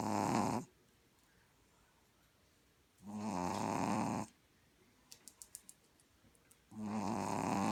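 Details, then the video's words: Loud snoring from Gronkowski, a puppy that dozed off: three broad, grating breaths roughly every three to four seconds, with a brief run of light ticking taps in one pause. "Gronkowski the puppy snoring loud"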